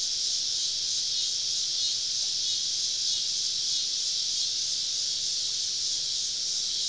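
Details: Many cicadas encircling a forest camp on a southern summer evening produce a constant, even, shrill hiss with no breaks or clear rhythm throughout.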